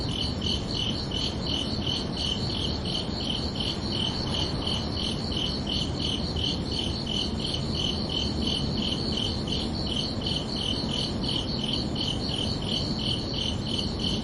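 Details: Under a peaceful summer night sky, crickets chirp in a fast steady rhythm, nearly three sharp high pulses every second, unbroken throughout, over soft low-frequency ambience.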